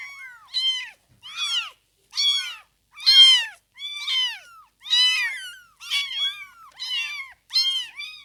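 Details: Several newborn kittens, within fifteen days of birth, give repeated shrill mewing cries, each short and arched, spaced roughly every second in a clean, quiet setting.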